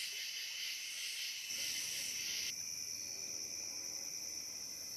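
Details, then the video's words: Cicadas calling through the night on the Licking River, Morning View: a thick, high buzzing chorus that suddenly thins midway to a narrower, steadier whine, over a faint low rumble. "Cicada to Cicada - a 12 hour accoustical journey on the Licking River in Morning View"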